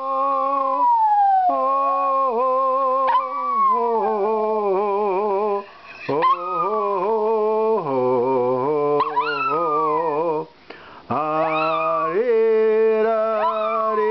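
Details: A 12-year-old male Maltese terrier living in Melbourne, Australia, howls along to the American national anthem: long drawn, wavering tones that slide and bend between notes, with brief pauses, over the accompanying music.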